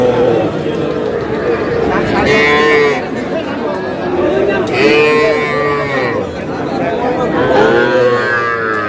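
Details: Young bull calves bought by a Noakhali farmer at a Bangladeshi cattle market, calling in a series of arched moos about every two to three seconds, amid bargaining voices and general market chatter.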